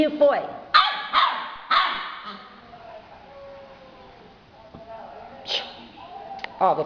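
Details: Two-month-old yellow Labrador Retriever puppy lets out three quick high barks in a row, then goes quiet before a few more short yaps, while a woman chats to the pup in Portuguese.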